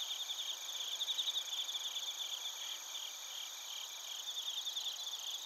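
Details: Night insect chorus of bell crickets and crickets from Narita, Chiba, Japan, TASCAM Portacapture X8 recording: overlapping high, rapidly pulsed chirping trills, slightly stronger near the first second, without other noticeable sounds.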